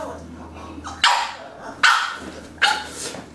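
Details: A female French Bulldog puppy gives short, sharp, high barks, one about every second, while being posed for photographs.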